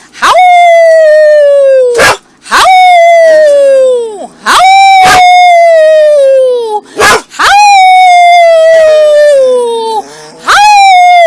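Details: Two puppies howling together indoors, a person joining in: long clear wavering howls, each gliding slowly downward over one to two seconds, about six in a row separated by brief sharp breaks.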